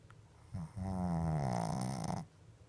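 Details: Shih Tzu fast asleep with eyes open, giving one long, loud, rattling snore lasting about a second and a half, low and buzzy with a steady droning tone, then quiet breathing.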